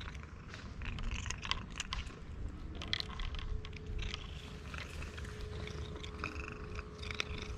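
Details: Stray cat in Istanbul purring loudly while eating food it was given; a low, steady rumbling purr runs throughout, mixed with soft chewing clicks and a faint constant tone in the background.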